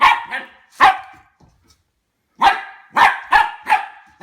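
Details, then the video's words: Harvey, a 10-week-old Goldendoodle puppy, barks at a new plastic toy while warming up to it. Two quick barks, a single bark, a pause, then a run of five sharp, fairly high barks close together. "How Harvey the Goldendoodle reacts to new toys"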